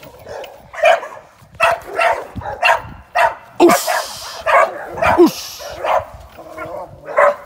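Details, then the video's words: Young American Staffordshire Terrier, a working sporting dog in training for ADBA shows and sporting events, barking in short repeated bursts with uneven spacing and a couple of higher yelps mixed in. "Training sporting dogs"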